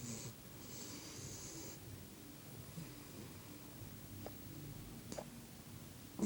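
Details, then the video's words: A pet dog snoring away indoors: soft, low rumbling breaths repeat steadily under a quiet room hiss, with a few brief clicks near the end. "Doggie snoring"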